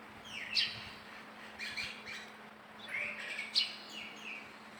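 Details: Baby monkey calling: high, thin squeals that slide downward, two bursts about three seconds apart, with sharp clicks and faint chirping in the background.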